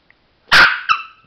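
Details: Chihuahua named Sparky indoors, a single sharp bark with a loud broad burst followed by a falling tonal whine-like tail, about one second long, in an otherwise quiet room.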